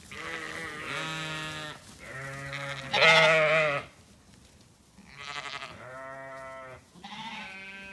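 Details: Zwartbles sheep ewes calling as feeding time nears, farm orchard in County Kilkenny, Ireland: a run of overlapping, harmonic bleats, one loud strained call near the middle, a short pause, then two more wavering bleats.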